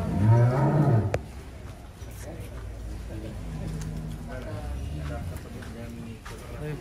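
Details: Giant cattle kept in a barn in Wonosobo, Indonesia: a deep, droning moo lasting about a second opens the clip, followed by men talking and background music.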